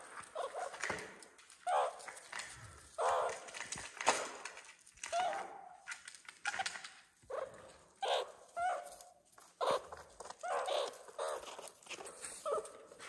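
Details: Meerkat babies growing at Nagasaki Bio Park, Japan: a long run of short, rough mid-pitched calls coming in irregular bursts, with soft rustling and possible faint voices in between.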